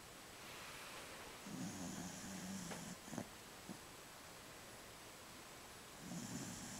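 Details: An elderly Jack Russell Terrier bitch, aged 15, snores in her sleep while dreaming: a long, low, raspy inhalation, then a few small clicks, and another snore starting about four seconds later.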